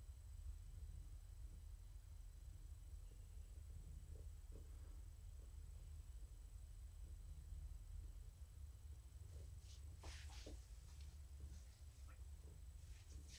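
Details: Continuous deep, even purring from Morticia, a female house cat, during an evening petting session indoors; light clicks and a brief burst of scratchy rustling near the end.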